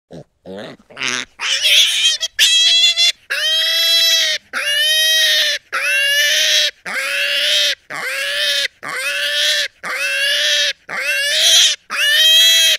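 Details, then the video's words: Pig giving loud, shrill, drawn-out squeals, roughly one per second. Short broken squeaks open the sequence, then steady screams of nearly a second each with brief silent gaps between. "Pig voice"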